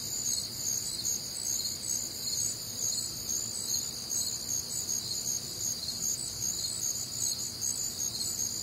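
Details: Night chorus of crickets recorded on a warm, humid summer night in the Midwest, many insects trilling at once in continuous high, pulsing bands that shimmer without pause.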